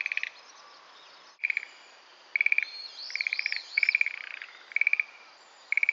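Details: A Schlegel's green tree frog in sedge at Itsukushima Wetland gives light, castanet-like rattling bursts repeated about every second, broken by a dropout, while a bird's wavering whistled phrase rises and falls in the middle.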